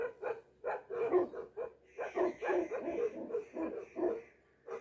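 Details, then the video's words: Bhote dog, a Tibetan Mastiff, giving a resounding voice: a rapid run of deep, loud barks about twice a second, with a faint high whine in the background. "भोटे कुकुरको आवाज कतिको गुन्जिन्छ ! What a resounding voice of a Bhote dog ! Tibetan Mastiff"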